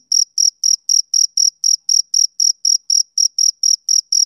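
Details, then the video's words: Male cricket chirping on a summer evening: steady, high-pitched pulsed chirps about four per second, each a short bright trill with a fainter higher overtone, in an even rhythm over silence. "Cricket Chirping Sound Effect"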